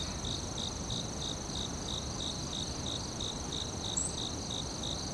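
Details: In the forest, a cricket repeats short, slightly wavering chirps at about three per second. A sustained piercing insect tone, one faint high squeak and low background rumble accompany them.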